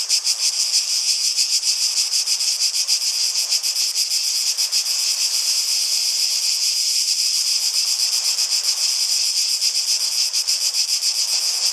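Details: Cicadas fill the air with a dense, high, buzzing drone that pulses steadily about three to four times a second, with no other clear sounds.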